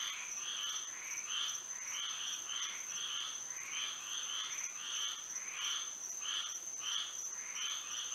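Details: Many frogs singing through a moonlit Florida night, quick nasal croaks repeated roughly 87 times a minute in loose overlapping clusters, with a steady high-pitched insect tone underneath.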